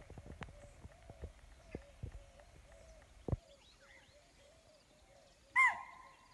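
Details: Spotted deer alarm call given on sensing a predator such as tiger or leopard, Pandharpauni, Tadoba Andhari Tiger Reserve, 9 November 2017, morning safari: one sharp, loud, high shriek near the end after soft clicking and faint bird notes.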